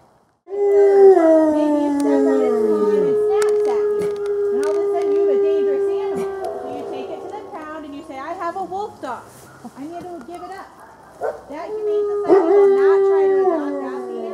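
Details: Gray wolves howling at a wildlife center in Colorado during a full moon feeding on 17 November 2013; several long, steady tones overlap in a chorus, with higher wavering voices joining and a fresh surge of howls near the end.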